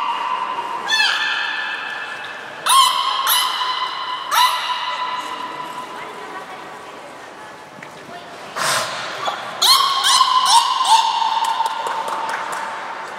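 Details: Aquarium belugas Niko and Mirai during a training session in Nagoya, 29 February 2020: repeated bright, nasal tonal squeals in bursts, some sweeping upward, separated by quieter gaps with faint background voices.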